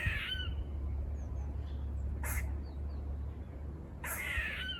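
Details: Buzz-like barking from squirrels seen on a walk near a farm: two short raspy calls about four seconds apart, a sharp click between them, over low background hum.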